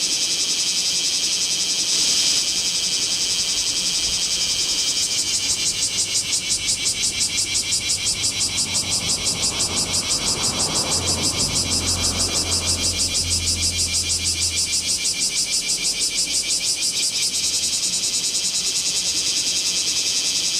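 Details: Bear cicadas calling in Kamo town during a 2 August 2026 heatwave, Z50II camera; a loud high buzz builds into rapid rhythmic pulsing, with a low rumble like a passing vehicle mid-clip.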